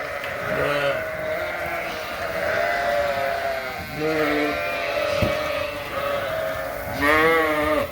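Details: Suffolk lambs mixed together into one big group in a barn after a gate was left open; repeated wavering harmonic bleats from several lambs, one near the start, others around four and seven seconds, over steady barn background noise.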